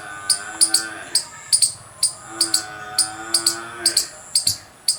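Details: Loud squirrel chirping: piercing high chirps, some paired, repeating about twice a second, while a deep, drawn-out lowing sound like cattle swells underneath twice.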